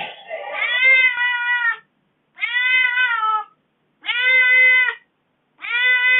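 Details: Domestic kitten meowing in aggrieved complaint after its owner had been away from home for four days; four long, harmonic, slightly falling meows about every second and a half, separated by silence.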